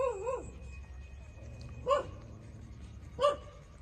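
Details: Puppies 27 days old nursing from their mother: a wavering, rising-and-falling whine opens, followed by two short, sharp yips spaced over a second apart against quiet background hum.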